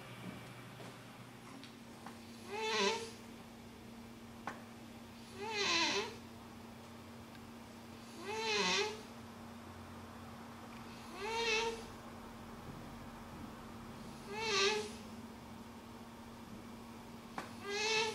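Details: A dozing house cat snores rhythmically, six breathy, raspy snorts spaced about three seconds apart, each with a rising whistled edge, against a constant low electrical hum indoors.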